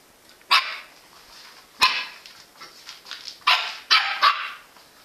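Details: Jack Russell Terrier barking: short, sharp, bright barks at irregular intervals, five or so over five seconds, with quieter yips between them against a quiet background.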